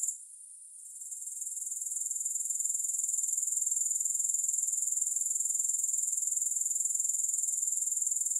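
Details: Starting from a brief lull, a grasshopper chorus gradually builds into a steady, shrill high trill of quick even pulses that holds to the end, with no accompanying music.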